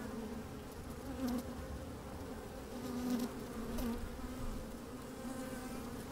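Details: Inside an open beehive on a sunny day, honey bees at work make a continuous low hum, rising slightly around three seconds, with short brighter buzzes and soft clicks from bees crawling near the microphone.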